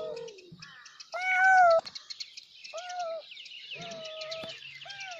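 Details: Kittens meow loudly for their mother. One strong, piercing, level meow stands out, followed by softer, shorter mewing calls that dip at the ends, with chirping birds in the background.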